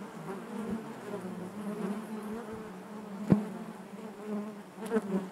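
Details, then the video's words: Inside a honey bee hive, a continuous low drone hums beneath faint rustling, broken by one sharp tap near the middle and a couple of small bumps toward the end. "bees therapy hive natural buzzing sound"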